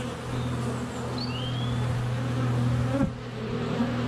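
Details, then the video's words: Close-up hum of honey bees flying around a hive entrance on a sunny February day, recorded with a GoPro; steady low drone with one strong tone, faint thin bird whistles above, a sharp knock near the end. "Honey Bees - ambient video and audio"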